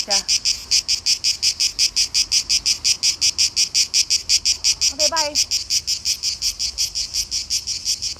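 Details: Male cicadas, called tzitzikia in Greek, calling in Greek summer heat to attract a mate, loudest in the hottest part of the day; a harsh, high buzzing pulsed about three times a second, steady and loud, with brief bird chirps.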